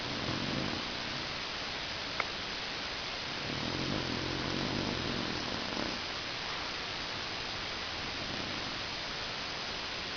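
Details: Stanley, a pet dog, snoring loudly indoors: a long low rumbling breath near the start, then a longer rasping snore in the middle, over steady background hiss.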